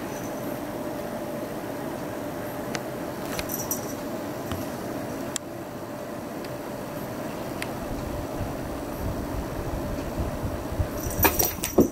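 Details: A constant engine or vehicle rumble with a steady hum fills the recording. Scattered clicks and a brief jangle near the end are heard, but no animal calls.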